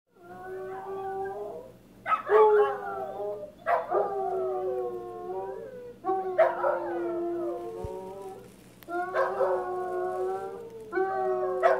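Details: {'caption': 'Two Basset Hounds howling together as if singing a tune: long wavering harmonic howls rising then sliding down, several overlapping voices, phrases starting about every two seconds with brief pauses between.'}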